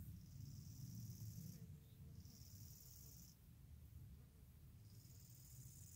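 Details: Gravel grasshopper (Chorthippus pullus) stridulating: soft, high buzzy phrases about one to one and a half seconds long, separated by short pauses, faint over low background rumble.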